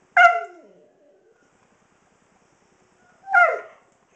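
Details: A 16-year-old senior Husky doing his nightly vocal show right before dinner: two loud, drawn-out yowling cries with bright harmonics, each starting high and sliding down, separated by about three seconds of quiet.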